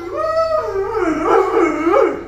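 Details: Luo Luo, a pet Alaskan Malamute not yet blown dry after a wash, answers with a wavering howl that dips and rises in several wobbling, yodel-like swoops, growing louder toward the end indoors.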